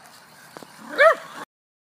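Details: Little poodle chasing a toy car gives a single short, high yap after faint rustling, then the sound cuts off.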